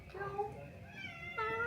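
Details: A friendly domestic cat at a motorbike rental shop in Ubud, Bali, gives drawn-out, slightly rising meows in reply to a woman's voice while being petted.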